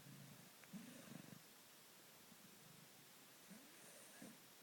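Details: Domestic cat snoring and purring while asleep: soft low rumbling pulses in slow breathing cycles, each lasting about half a second, with quiet gaps between and a faint hiss in the background.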